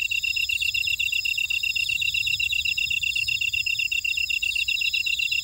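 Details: Insects chirping in a buckwheat field at Ora-dong, Jeju City, on volcanic Jeju Island, South Korea: a dense, steady chorus of rapid high pulsed trills, layered with several thinner shrill buzzing tones above, with no other sounds.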